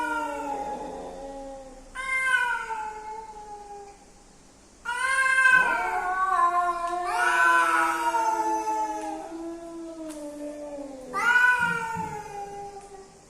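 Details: Male and female cats coming together, long wailing caterwauls with rich harmonics, rising then slowly falling, several overlapping yowls in bursts with short pauses between.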